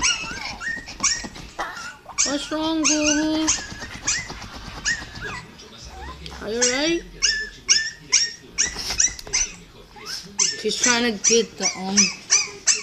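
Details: Pet dog crying back at another dog's crying indoors, a dense stream of high, wavering whines and yelping cries, some drawn out and quavering, rapidly repeated, mixed with Spanish speech in a small room.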